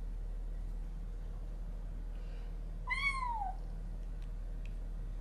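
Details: A single drawn-out, falling meow about three seconds in, set against a quiet room hum. It comes from the first meeting between a resident cat and a new kitten, on a day when the two threatened each other.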